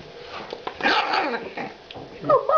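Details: Two female French Bulldog puppies, 45 days old, born on 23 December 2011; short harmonic yipping and grunting bursts in the middle, then higher squeaky yelps near the end, with human voices nearby.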